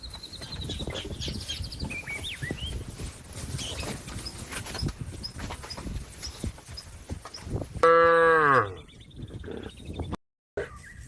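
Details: Cattle calling a companion out eating grass to go back home to the barn: a long stretch of rustling background with faint birds, then one sudden loud, rising-and-falling moo under a second long.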